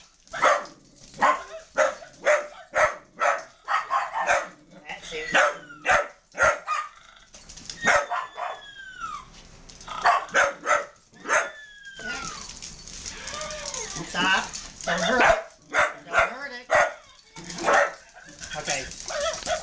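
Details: Dogs attacking a puppy: steady run of harsh barks about every half second, with high falling yelps and whines in between, and a burst of broadband noise midway.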